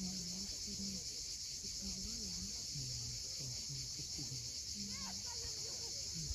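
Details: On Crimea's steep coast at Cape Fiolent at sunset, cicadas give a constant sizzling, high drone. Brief low tonal notes, some wavering, repeat beneath it.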